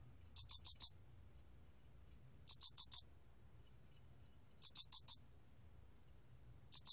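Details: High, pure cricket (알락귀뚜라미) chirps from 2020, each a burst of four fast pulses, recurring roughly every two seconds; three full chirps and the start of a fourth, with a soft low background rumble.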